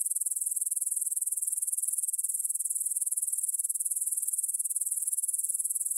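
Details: Grasshoppers stridulating in a meadow near the Svensky monastery in Bryansk, Russia, at 9pm on 6 September 2020, recorded in stereo on a Tascam DR-44WL: a steady, high, rapidly pulsing shrill chirring that continues without pause.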